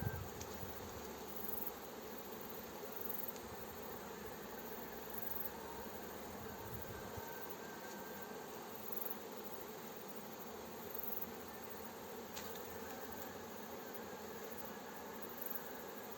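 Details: Steady, dense hum of a honey bee swarm being coaxed into a hive outdoors, a continuous buzzing wall of sound with a brief low rumble of handling noise in the first seconds.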